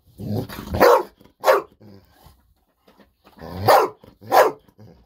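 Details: Indoors, an excited Golden Retriever named Bis barks nonstop, eager for a fish-sausage snack while a calmer retriever waits quietly. Two loud barks, a pause, then two more in quick pairs.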